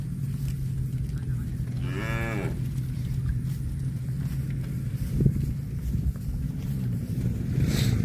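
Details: Cow giving a short moo of about half a second, rising then falling, over a steady low hum and background rumble, with a few knocks later on.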